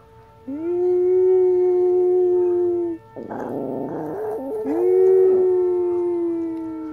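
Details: Mia, an old pet Chihuahua, howling at a siren for the first time: a long, steady, mid-pitched wail that bends slightly, breaks into a rough, noisy yelp, then resumes a drawn-out howl over a constant tone.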